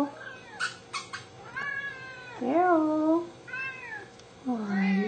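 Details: Hungry indoor Siamese cats, a four-year-old seal point male and two-year-old blue-lilac point female, giving repeated meows, several rising-then-falling, one loud and drawn out, ending on a strong rising cry; brief taps and a woman's voice.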